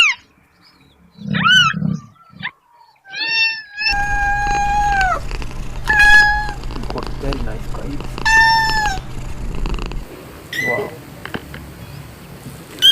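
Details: Kittens meowing: a series of short, high, tonal meows, some rising then falling, a few drawn out, spaced a second or two apart, over a steady low hum with a brief human voice near the start.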